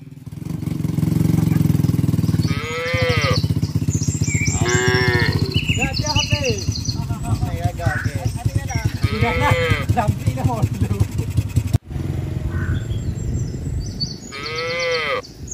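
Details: Herd of tame cattle and calves hurrying back to the farm barn during the rainy season; a series of short, arched moos, about six in ten seconds, over heavy low engine-like rumble and trampling noise.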